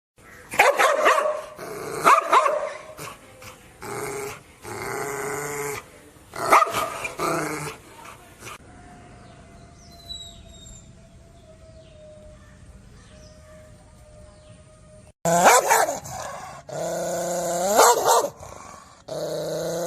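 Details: Dog giving bursts of harsh, harmonic barks and yelps in the first half, then a long near-silent stretch with faint hiss, before a fresh run of loud, wavering barking calls near the end.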